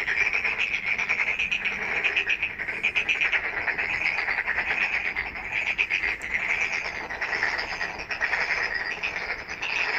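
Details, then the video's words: Night chorus of many frogs, a steady wall of fast rattling pulses and shrill trills that swells and fades slightly but never stops. "Night frog call"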